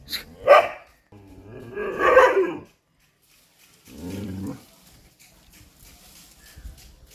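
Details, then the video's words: Chippiparai dog fighting monkeys, giving rough barks: a sharp bark, a longer loud growling bark about 1.5 seconds later, then a lower, shorter bark, with quieter scuffling noises trailing off. "chippiparai dog fighting monkeys"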